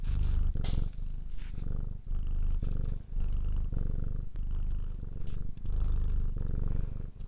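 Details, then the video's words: Domestic cat purring steadily, a deep low rumble broken into breathing cycles of roughly a second, each inhale and exhale marked by a brief pause, close and intimate in a quiet setting. "Ralaxing Cat music for Calm Cats and Kitten [Cats Breathing]"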